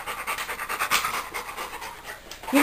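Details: Female Labrador retriever at play with a stuffed monkey, panting in fast, rhythmic, airy bursts about five per second; a person's voice starts briefly at the very end.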